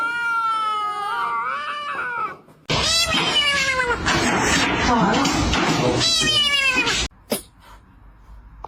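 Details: Cat giving a wavering, tonal meow, then a loud, harsh, drawn-out yowl lasting about four seconds, rich in overtones and ending abruptly, with a faint knock afterward.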